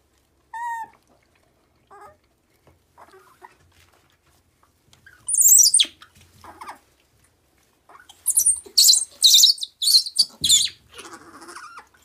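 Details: A macaque with its head stuck cries out for its mother. Short scattered squeaks are followed by intense shrill shrieks near the sixth second, then a run of harsh piercing screams between eight and eleven seconds.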